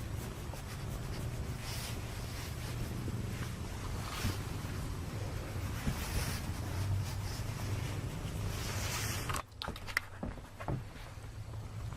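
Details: Rumbling wind buffeting the microphone, with a few sharp handling clicks toward the end; no animal voice is heard.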